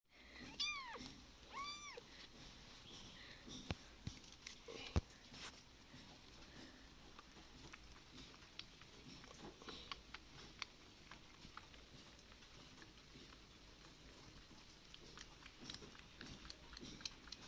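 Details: Abandoned kitten left on the street, indoors after rescue: two short high arched meows in the first two seconds, then only faint handling noise and scattered clicks.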